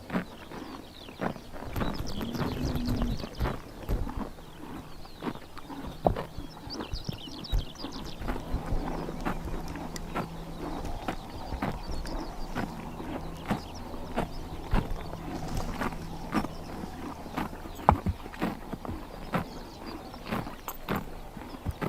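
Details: Horses grazing on a summer morning in Tuv province, Mongolia, tearing and chomping grass: dense, crisp crunching clicks at an irregular quick pace, with a low steady hum in the background and a quiet open-air ambience.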